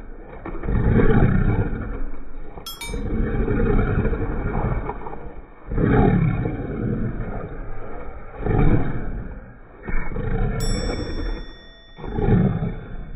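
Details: Family Shiba Inu growling to show affection to its owners, not anger. Deep, raspy growls rise and fall in waves every two to three seconds, with a couple of faint clinking sounds in between.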